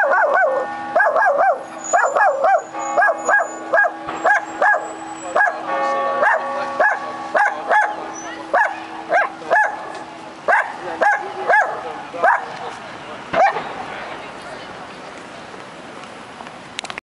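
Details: Dog on a lead in Cardiff pulling and barking at another passing dog: a rapid series of sharp, high barks, roughly one every half second, with church bells ringing steadily underneath.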